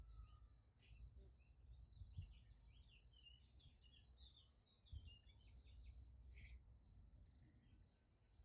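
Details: Night chorus of crickets beside a sunflower field, giving high, rapidly pulsed chirps about twice per second in a steady rhythm, with faint background rumble and a few soft distant notes.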